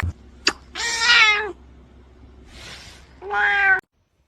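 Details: Domestic cats in a fight, a harsh drawn-out yowl with a strong low harmonic stack, a brief noisy hiss, then a shorter second yowl; faint music underneath.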